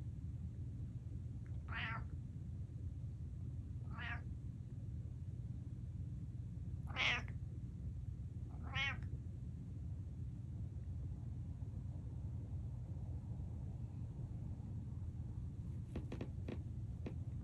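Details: Male pet cat with an empty bowl: four clear, quavering meows about two seconds apart, the third loudest, then silence broken by a few sharp clicks, over a constant low hum.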